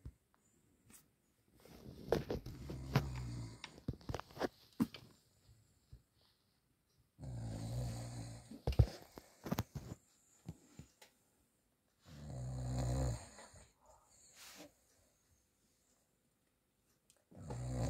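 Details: A male Cavalier King Charles Spaniel, deeply asleep in the evening and tired after a run in the garden, snores loudly in deep, rumbling bursts separated by quiet pauses.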